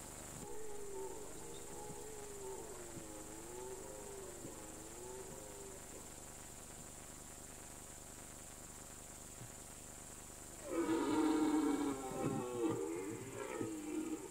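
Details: During the autumn rut on an alpine meadow, a red deer bellows: a drawn-out undulating moan for about six seconds, a quiet pause, then a loud, rough, broken roar with grunting pulses. Light background hiss.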